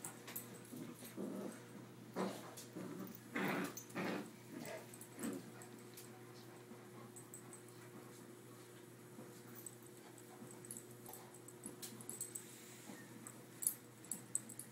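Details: Dogs, a Rottweiler and a Yorkie, growling while playing tug-of-war with a rope. Rough, low growling bursts come one after another over the first five seconds. Quieter rustling and scuffling follow.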